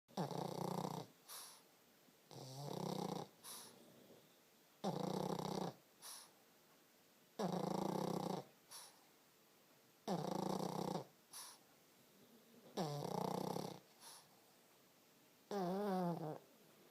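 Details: Colby the Pug snoring steadily: rasping, rumbling inhalations about a second long roughly every two and a half seconds, each followed by a brief airy hiss as the breath goes out.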